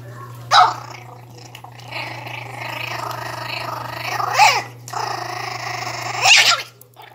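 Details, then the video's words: A 60-day-old Pinscher pup guards its food, giving sustained raspy growls punctuated by three brief high snapping barks, over a constant low hum in a small room. "Não mexam na minha comida Pinscher 60 dias"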